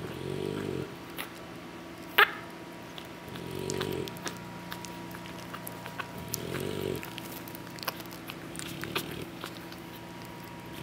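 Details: Sleeping English Bulldog puppies, worn out after feeding from their mother: three rough, rumbling snores at slow intervals, a light click near the start, and a constant faint background hum.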